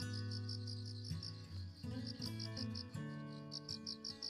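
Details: A cricket chirps in high, steady pulses from a flowerbed outside a door at dawn in cool autumn weather after rain, over soft, sustained music with low tones.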